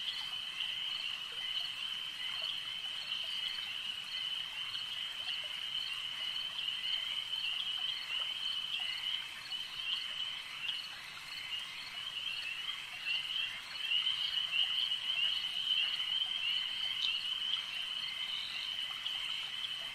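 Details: At a lake, a steady wall of high trilling from numerous frogs continues without pause, growing a little louder and brighter in the second half.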